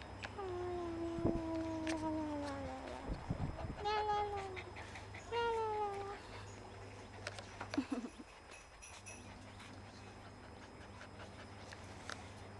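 Golden retriever puppies give thin, drawn-out whines that slide downward, followed by shorter rising-and-falling squeaks.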